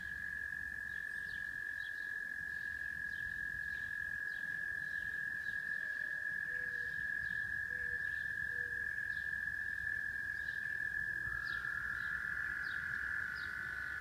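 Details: Frogs singing in Rochester, New York: a dense, unbroken trilling drone holds steady throughout, while short, higher peeps and a few faint low notes come and go above and below it.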